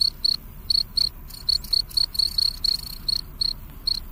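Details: Night-time cricket calling, its sharp high chirps falling singly or in quick pairs about one to two per second, irregularly spaced, above a steady faint low rumble.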